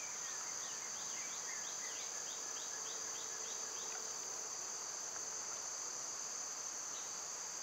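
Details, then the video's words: Summer cicada chorus, loud at this time of year: an even, shrill buzzing tone runs without pause, and a quick series of short, falling bird chirps repeats through the first four seconds. "Cicada sounds"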